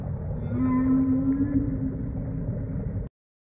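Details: Humpback whale off Tonga, recorded while snorkeling: a steady, sustained mid-low tonal moan with faint higher overtones, held for about three seconds over a dense low rumble of water noise before cutting off abruptly.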